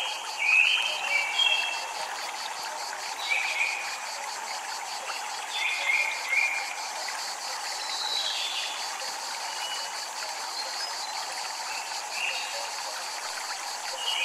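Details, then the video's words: Japanese temple cicadas drone in a rapid, evenly pulsed buzz, almost drowned at times by frequent ringing wind chimes and a steady wash of flowing water. "Japanese Temple Ambient Sound | Water, Chimes, Cicadas"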